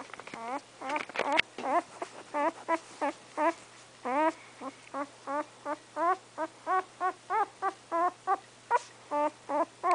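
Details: Remington, an English Setter pup about three weeks old with eyes still closed, whimpers in quick, short squeaks, a few rough noises early on, then a regular stream of thin cries over a faint background hum.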